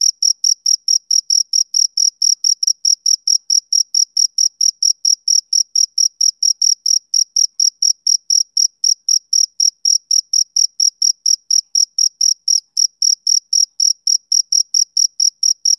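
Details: Unbroken run of bright, high chirps from a male cricket, evenly repeated about four times a second throughout, with nothing else audible.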